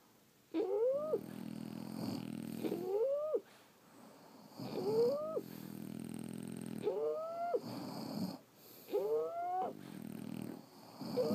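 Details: French Bulldogs snoring in their sleep, five or six cycles: whistled upward-sweeping squeaks give way to a grating, purr-like rumble, repeated about every two seconds with soft pauses.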